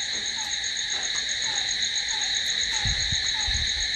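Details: Crickets calling at night in a continuous bright, high shrilling drone, a lower falling note repeating several times a second, and a few dull low thumps near the end.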